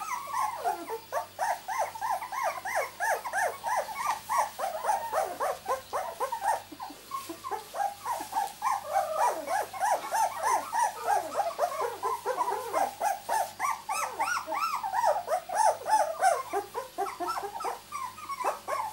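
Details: Litter of miniature Labradoodle puppies at two weeks old, born 31 July 2009: a dense, continuous chorus of overlapping high squeals and whines, each rising then sliding down, many pups calling at once, with a steady low hum beneath.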